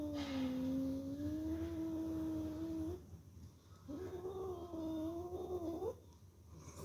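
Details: Kitten calling in a small room with two extended, slightly wavering moaning meows separated by a short pause. The second meow ends in an upward lilt. Low background hum throughout.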